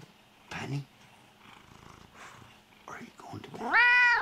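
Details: Lynx hybrid cat at bedtime indoors, ending with a loud rising harmonic meow after quieter rustling and soft murmurs.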